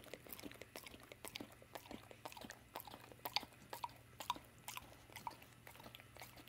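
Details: Evening peanut butter snack for Dawg, also called Morning Moose, an American Staffordshire and American Bulldog mix: steady wet licking, lip-smacking and tongue clicks about once a second in a quiet small room.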